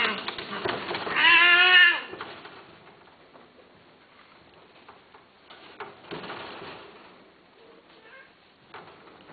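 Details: A Himalayan Persian cat gives one loud, drawn-out meow, rising slightly and then falling away.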